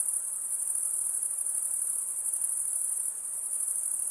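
Crickets chirp together at night in a dense, very high trill that never lets up. The rapid pulses of many callers merge into one continuous shimmer, with faint background hiss beneath.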